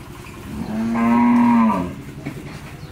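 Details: Jersey-Mundi cross cow, newly calved for the first time and with a male calf, on a farm in Pabna, Bangladesh. She gives one steady, sustained moo of about one second that stays level in pitch and then fades.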